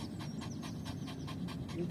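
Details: Yorkshire Terrier named Lucy, a pet tired after fetching a ball, panting quickly in short breathy bursts repeated about four times a second, steady and unbroken, with a low rumble of background noise underneath.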